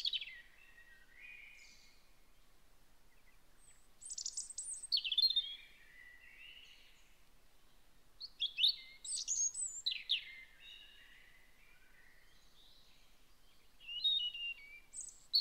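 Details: Young hedgehogs in their nest inside a hedgehog house behind an Aralia, 27 September 2019, give thin, high, bird-like peeps and squeaky chirps in short bursts.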